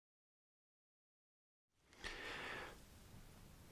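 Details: Nearly two seconds of silence, then a soft breathy rustle lasting under a second, a quiet hiss, and a sharp click at the very end.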